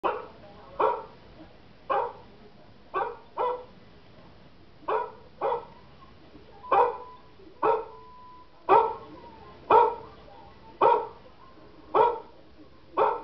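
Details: A German Shepherd barks in sharp, single woofs, spaced unevenly about once a second, reacting to dog barking sounds; finding: German Shepherd.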